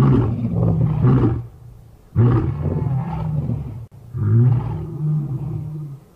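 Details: A group of five Birmingham lions roaring in unison, recorded August 13, 2015: three long, deep rumbling roar bouts, each swelling then fading, separated by brief quieter gaps.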